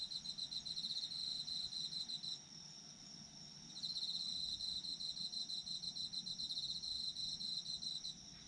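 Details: Chirping autumn insects: quick pulsed trills atop a continuous high ringing tone, pausing for over a second early on before the pulsing resumes steadily to the end.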